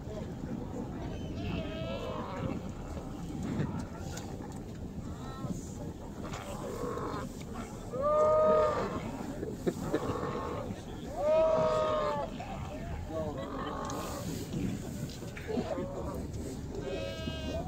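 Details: Several sea lions in the Beagle Channel at Ushuaia give deep, moaning, growly, Chewbacca-like calls that overlap, with louder drawn-out bellows standing out.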